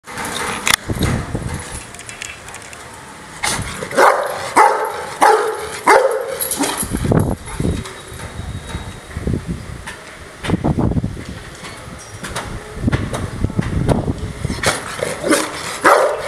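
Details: An angry Rottweiler gives deep, rough barks in irregular bursts, some close together and some spaced apart.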